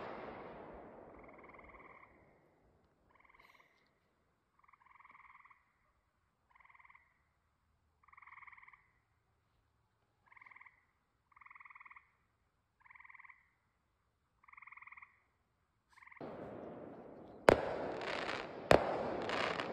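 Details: Frogs calling at night on a homestead during 4th of July fireworks; nasal, two-toned croaks repeated about every one and a half seconds, then loud fireworks bangs and crackling take over near the end.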